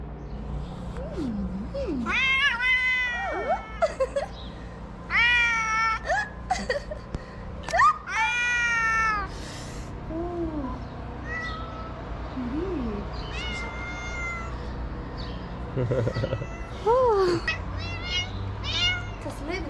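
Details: Kittens rescued into a small shelter in Morocco, one slapping a hand in play; a rapid run of loud, strained, wavering meows, some caterwaul-like, with softer chirps and short calls later over steady hum.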